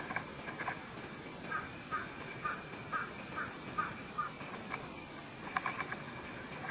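Vine hawk-moth caterpillar chewing: soft, crisp crunching clicks repeated about twice a second in a steady run, over a quiet hiss.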